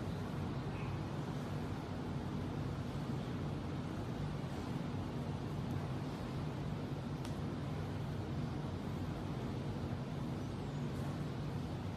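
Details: Constant low engine-like hum with faint broadband noise and a couple of short clicks; no animal calls stand out.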